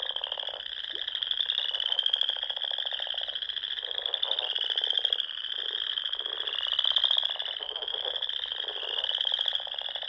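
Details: Many frogs sing together on a spring evening at a pond in the Nebraska Sandhills, a sustained piercing trill overlaid by intermittent deeper, buzzy croaking pulses.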